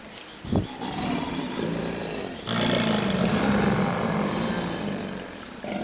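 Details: Captive subadult American alligators at the St. Augustine Alligator Farm Zoological Park in a bellowing chorus: a sharp thump, then overlapping deep, throbbing, rumbling roars that build and hold loudly, with a gritty rushing texture layered over the low drone.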